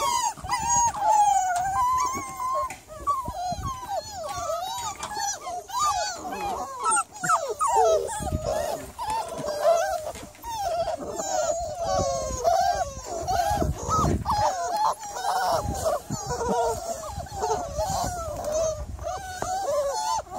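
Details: Miniature Labradoodle heard one July 3rd evening, whimpering continuously in a dense, restless run of short squeaky whines, bending up and down, overlapping with low rustling and thumps throughout.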